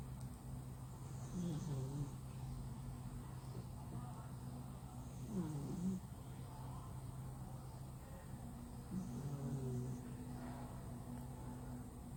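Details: Flat-nosed male cat sound asleep, snoring loudly: three low, throaty rasping breaths spaced roughly four seconds apart, each with a wavering pitch, set against a constant low mechanical hum.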